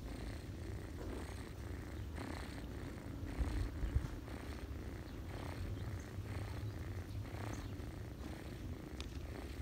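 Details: Ginger cat nursing her kittens on a person's lap in autumn, purring; steady low rumble pulsing in regular breath cycles roughly twice a second, a soft brief knock near the middle.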